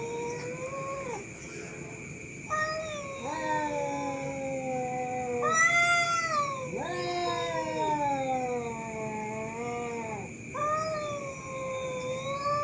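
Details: Fighting cats at night keep up a series of long, moaning yowls, some rising sharply into shrill peaks before sagging down, repeated about five times with brief gaps, over a steady high whine.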